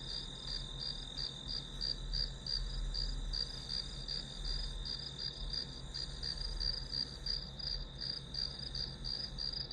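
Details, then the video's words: Grass insects chirping as white-noise ambience for studying: a steady high-pitched ringing tone broken into quick pulses about three times a second, continuous throughout, over a low steady hum. "풀벌레 소리"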